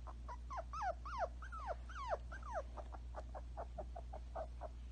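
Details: Two young toy Pomsky pups, one sitting still and one running around, give a quick run of high whines and squeaks that slide downward, about three per second, over a steady low hum.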